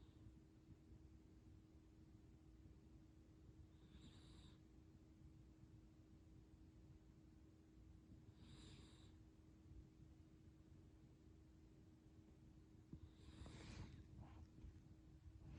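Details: Chachamaru, a toy poodle, snores loudly while asleep: soft breathy rasps recur about every four to five seconds over a steady low hum, the last one longer and rougher.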